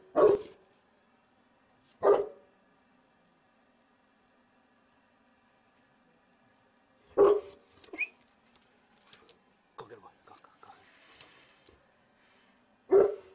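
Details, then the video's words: Single deep, loud barks from Cotto, a Cane Corso guarding at the gate while window cleaners work next door out of sight, spaced several seconds apart with quiet gaps and faint background sounds between. "COTTO, guarding by gate"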